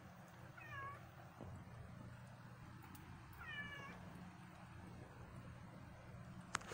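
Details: Cat outdoors at 3 in the morning, a second cat nearby: two short descending meows with clear harmonics, one near the start and another about two seconds later, over a steady low hum.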